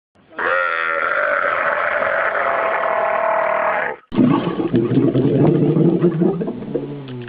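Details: Camel giving a long, steady, harmonic bellow lasting about three and a half seconds, followed after a brief break by rough, low, gurgling grunts.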